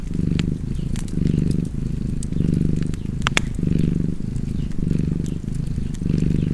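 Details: Rhythmic, throaty purring from a cat, each breath cycle lasting just under a second, accompanied by the snapping of burning wood in a fireplace.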